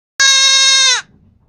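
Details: Goat (Capra hircus), bleat.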